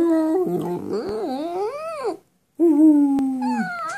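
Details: Dog talking back to its owner with drawn-out tonal whines and yowls, pitch sliding up and down in wavering, voice-like phrases, a brief pause, then a long level whine that bends upward at the end.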